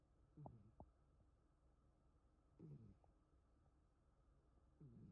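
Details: Puku, a rescued house cat, sleeping after dozing all day, eyes half open and still wary of the owner; soft low snoring rumbles come in short bursts roughly every two seconds in a quiet indoor room.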